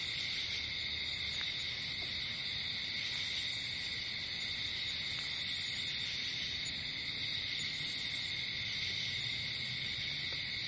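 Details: Night-time cricket chorus outdoors, an unbroken high-pitched ringing trill layered in two tones, with faint pulsed chirps rising above it now and then and a soft low rumble beneath.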